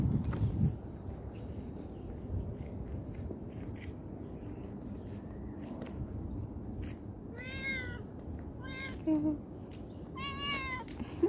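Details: Cat heard after a quiet stretch of background noise and soft knocks, then three short meows near the end, two clear and one brief and strained.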